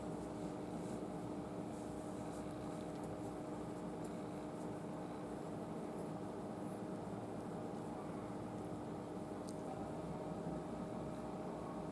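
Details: A steady, even indoor hum with two faint constant tones runs throughout, and no animal voice can be picked out.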